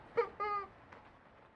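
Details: White Swiss Shepherd puppies, 45 days old, playing in a puppy playground: a short sharp yelp followed by a brief high whining cry, then quiet background.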